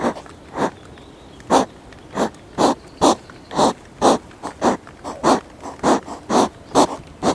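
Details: Hedgehog fight, one animal defending its territory against a newcomer, recorded on a GoPro; loud, harsh puffing snorts repeat about twice a second in an uneven, steady train, with no other sounds.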